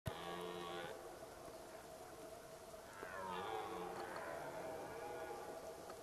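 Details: Red deer during the rut at Zvārde, two loud groaning roars built of stacked low harmonics, the first held steady for about a second, the second starting with a falling sweep and trailing off into a rough drawn-out bellow.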